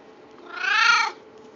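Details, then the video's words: Pet cat giving one drawn-out, slightly strained meow lasting around 0.6 seconds, rising then dropping in pitch with bright overtones, over a low constant background hum. "My cat making noise"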